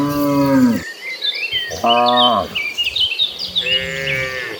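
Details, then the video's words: Mooing cows in a cattle herd running across green pastures, three separate calls, the first long and falling, the second short, the last rising and higher, with birds chirping behind. "Gentle Cattle Herd Running Across Green Pastures, with the Sound of Mooing Cows."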